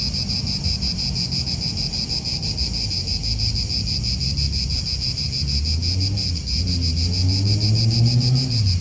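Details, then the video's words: Cicadas buzzing in an Italian park, a steady high pulsing drone throughout, with a low rumble beneath that grows into a rising engine-like tone near the end, from cars nearby. "Cicadas wind real atmosphere in an Italian park"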